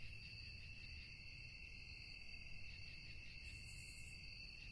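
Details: Crickets chirring at night make a constant high-pitched trill with a slightly pulsing texture. A brief hiss rises near the end, over a steady low-frequency rumble.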